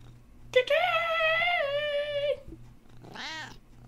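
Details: Indoor domestic cat producing one long sustained meow of nearly two seconds, level and slightly falling, followed by a short, quieter, wavering mew; low room hum underneath.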